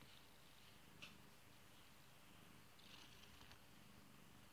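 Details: A beloved pet kitty purring: a soft, low, steady rumble with an even pulsing texture, and two brief faint clicks standing out above it.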